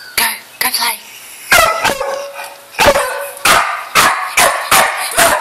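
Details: Pet dog Bud barking in sharp, loud bursts, some close pairs, about eight barks in five seconds, while a person speaks to it and calls it noisy.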